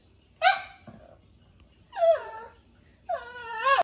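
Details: A domestic dog making "talking" sounds: three drawn-out, harmonic, whine-like howls that bend in pitch, each about half a second long, separated by short pauses in a quiet setting.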